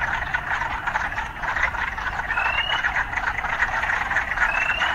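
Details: An urban frog chorus forms a thick, unbroken wall of croaking, with two brief upward-sliding chirps standing out above it and a faint low hum of city life beneath.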